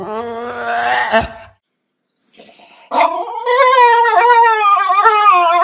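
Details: Dog making a long, wavering, howl-like moan with rich harmonics, broken by a short silence, then a sustained quavering howl that slowly rises and falls in pitch.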